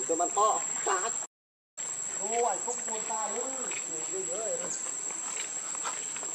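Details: Hungry baby monkey Leo, also called Rainbow, crying and begging its mother for milk: arched, wavering whimpers that rise and fall in short bursts, over a steady high chorus of insects.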